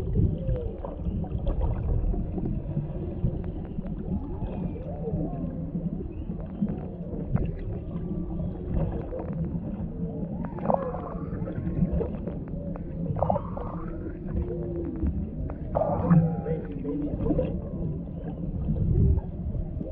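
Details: Humpback whales beneath the surface off Maui, Hawaii, a mother with calf and a male in the background, heard through a GoPro camera: faint wavering moans and brief upswept cries, steady low water rumble throughout.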